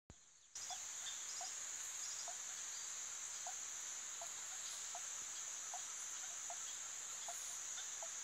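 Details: Swamp frogs in spring-fed marshy pastures of Turrialba give short, low, knocking notes about every half second over a steady high insect drone.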